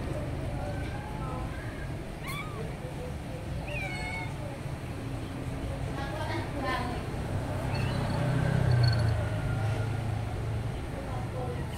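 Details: Several pet cats being petted indoors give short rising and falling meows scattered through the clip, one clear upswept cry near four seconds, over a steady low hum and some background voices.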